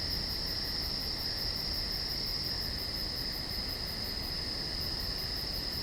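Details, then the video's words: Insects at night in the woods, a dense unbroken chorus of high shrill trills layered at two pitches, with rapid rhythmic pulsing ticks at the top and a soft hiss beneath. "Night Insects in The Woods"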